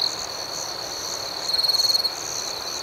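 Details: Crickets at night, a gentle chirping nighttime ambience: a steady high-pitched chorus hums throughout while one nearer cricket gives a single pulsed trill lasting about half a second midway through.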